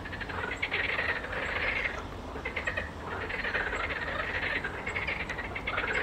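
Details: A marsh frog chorus, heard while great crested grebes dance, gives fast, rattling, chuckling croaks overlapping in waves of a second or two, with hardly a pause.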